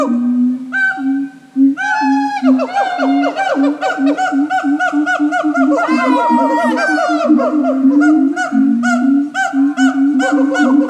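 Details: Siamang at Japan Monkey Centre giving a very loud, striking call: steady low hoots, then rapid rising yelps and barks sweeping upward, repeated in a long, unbroken, rhythmic series.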